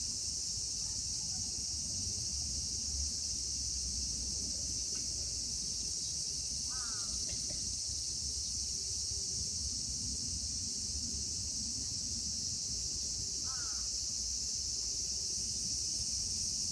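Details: Chorus of cicadas in Kitatama District, Tokyo, Japan, among them Platypleura kaempferi, Graptopsaltria nigrofuscata and Hyalessa maculaticollis: a continuous shrill, even drone throughout, with a few brief faint harsh calls in the background and low rumbling noise.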